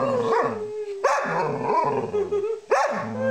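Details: Pet dog singing along with its owner: a sustained, slightly falling howl runs through the clip, mixed with the owner's rising and falling sung notes and two sharp higher yelps.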